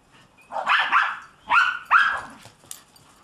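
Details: German Shepherd about seven months old playing in snow, giving three short high yelping barks with rising whine-like tails, each under half a second, spaced about half a second apart, then quiet snow shuffling.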